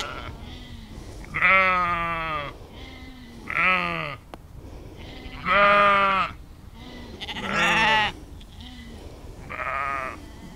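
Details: Sheep in nature, spatial-audio field recording on Insta360 X3 and Zoom H2n: loud, clear, quavering bleats about every two seconds, each roughly a second long and rich in harmonics, alternating with softer lower calls.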